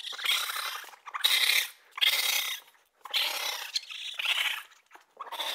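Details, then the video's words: Raccoon producing loud, harsh hissing and screeching bursts, five or so long rasps broken by brief pauses, noisy and high-pitched throughout. "Raccoon sounds | The amazing sounds of raccoons | As the raccoon says"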